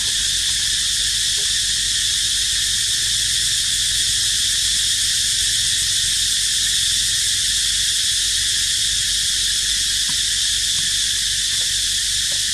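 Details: Unbroken high cicada buzz, like constant hiss, filling the whole stretch without pause; a few scattered faint clicks near the start and end, around the resting baby monkey Dito.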